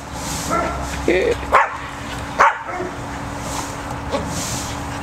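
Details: Cocker spaniel named Max, scared to go into a tunnel, working to get his treats out of it, gives two sharp barks about a second apart, with a person talking and soft background rumble.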